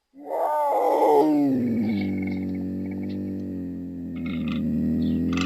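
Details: Puma calling: a loud harmonic wail falling in pitch, then a long steady low moaning tone with faint higher clicks and noises behind.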